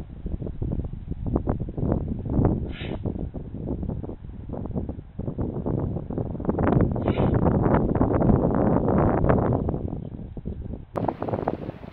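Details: Only wind buffeting the microphone and rustling leaves are heard, with no animal voice standing out.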